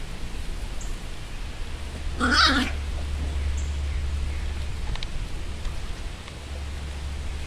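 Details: A single harmonic puppy yelp, about half a second long, from seven-week-old Chihuahua-Beagle mix rescue pups of Tessa's litter, with faint clicks afterward and a constant low background hum.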